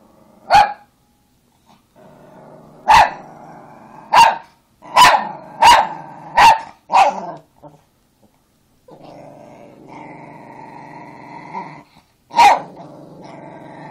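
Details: Angry Chihuahua barking sharply in bursts, a run of quick barks around the middle, with low continuous growling between them and a final bark near the end.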